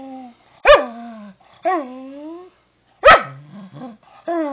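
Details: Pet dachshund refusing commands during a small indoor training session after a lazy day in a sunbeam: two sharp, loud barks, each sliding into a drawn-out, falling, whiny grumble, with quieter moaning yips between them.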